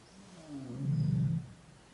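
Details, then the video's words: A tigress in Corbett National Park, India, calls for her cubs with a single deep, resonant moaning roar lasting about a second, low and steady before fading. "Tiger Mom calling Cubs"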